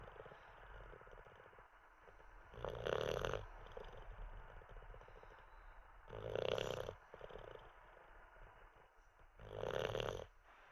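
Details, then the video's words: Sleeping Olde English Bulldogge named Teddy snoozing after treats and a wee; three harsh, raspy snore bursts come roughly every three and a half seconds over quiet breathing. "Six minutes of a snoring olde English bulldog"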